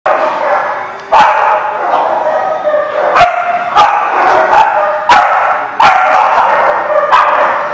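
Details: Many dogs barking together at a dog lot on 25 March 2019: a steady din of overlapping barks, with sharp louder barks popping out about every second, and a faint human voice in the mix.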